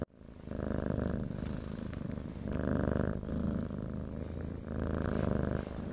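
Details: Cat (Felis catus), purr.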